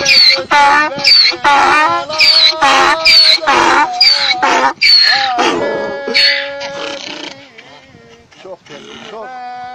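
A donkey brays in loud, rasping, see-sawing bursts while people sing nearby.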